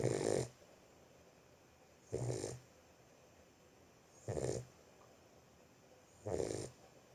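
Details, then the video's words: Steady snoring from a sleeping Boxer puppy, four harsh, rattling breaths at roughly two-second intervals over near silence. "Boxer puppy sleeping. Щенок храпит."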